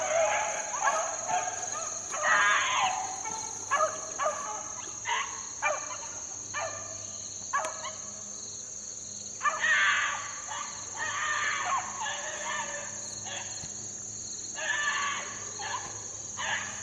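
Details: Beagle pups, four months old, in the wild during 2013, baying in repeated bursts of choppy yelps with short pauses between groups, a continuous high insect drone in the background.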